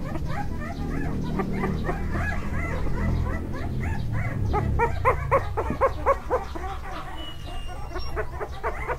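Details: Staffordshire Bull Terrier puppy at a breeder in Thailand, giving rapid, high, pulsed yelps and whines about four per second, growing more distinct in the second half, over a dense low rumbling background.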